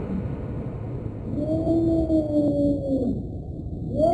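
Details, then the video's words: Cat drawing out one low, steady, mournful moan lasting over a second, slightly wavering before it drops off, with a faint rising call starting at the very end over a low rumbling background. "Scary cat sounds"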